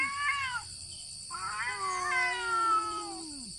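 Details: Two cats squaring up to fight without touching: overlapping harsh yowls, one high and wavering, another a sustained low moaning growl that drops away at the end.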